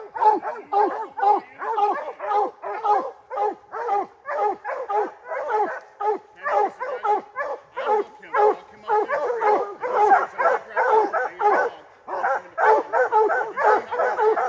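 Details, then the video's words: Three-month-old hound puppy Rocky, a Gray's Rack Em Willy x Blackstone's Ram-Paige cross, baying at his first treed black bear: rapid, ringing bawls repeated about twice a second, steady and continuous throughout. "Rocky’s first treed black bear."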